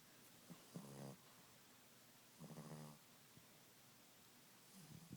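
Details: Boston Terrier dog snoring at nap time: three low rattling snores, each about half a second long, spaced roughly two seconds apart, the last one fainter and cut off, over quiet room background.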